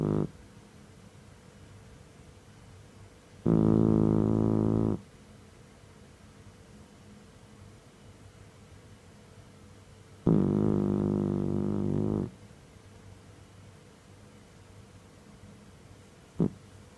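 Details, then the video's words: Ohjiro, a seven-month-old rescued male Mameshiba (Shiba Inu), sound asleep and snoring; deep, humming, harmonic snores about one and a half to two seconds long, two full ones about seven seconds apart, quiet between. "豆柴おーじろう(7か月)☆いびき mameshiba(shiba inu) OHJIRO snoring"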